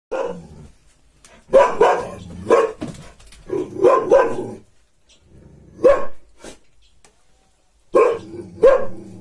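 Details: Gaddi dog kept as a guard dog, barking loudly and deeply in short bursts of two or three barks separated by quiet pauses, roughly six barks over nine seconds, with no other clear sounds.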